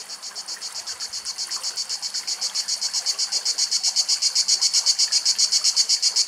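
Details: Somewhere in Greek nature, a cicada sings a shrill, high buzz broken into steady pulses, about four a second, swelling louder as it goes; no other sounds stand out.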